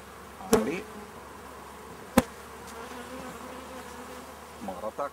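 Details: Honey bees of a swarm under inspection, with powdered sugar dusted on them against varroa mites: a steady low hum with faint harmonics runs throughout, broken by two sharp knocks near the start and middle, with small handling noises at the end.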